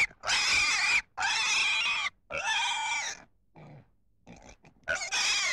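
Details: A pig squeals loudly in long, shrill, harmonic bursts of about a second each, three in a row, then a brief quieter pause with faint noises before another squeal begins.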